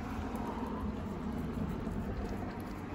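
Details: Steady low rumble like a running engine or passing traffic, with broadband hiss and no animal voice.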